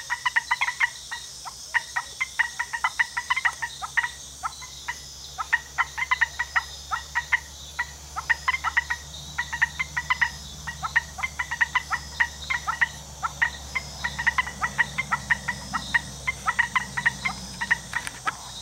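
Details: Costa Rican frog chorus of crisp repeated clicks in irregular clusters over nearly twenty seconds, above a faint low rumble and a constant thin high whine.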